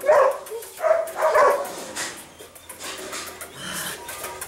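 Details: Three sharp, high-pitched yips open the recording of Mika, a sable female puppy eight weeks old. Quieter, softer sounds and a low background hum follow.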